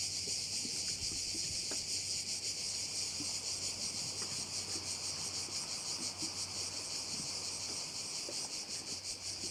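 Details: Insect chorus of crickets beside a bay on Korčula, an unbroken high buzzing shimmer pulsing roughly three times a second, with light wind-like rustle underneath.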